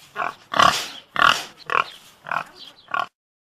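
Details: Pig grunting in a series of six short, rough, nasal grunts, roughly two per second and unevenly spaced, then silence.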